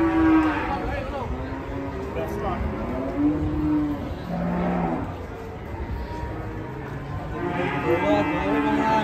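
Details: An angry cow with a tightened rope choking its neck, charging an old man. Several hoarse, strained moos in separate bursts, with music playing and people talking in the background.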